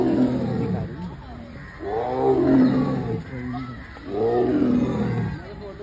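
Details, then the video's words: Tiger in a zoo enclosure at Thiruvananthapuram Zoo, roaring at visitors: deep, harmonic, groaning roars with a brief earlier rumble, then two long drawn-out roars about two seconds apart. A man's voice is heard faintly. "ആളുകളെ നോക്കി അലറുന്ന തിരുവനന്തപുരം മൃഗശാലയിലെ കടുവ"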